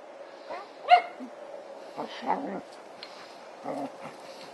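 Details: Ella, a female Border Collie, helps dig out a stump in a backyard, giving short whines and a yelp-like note amid rustling and digging noise, with a person speaking softly at times.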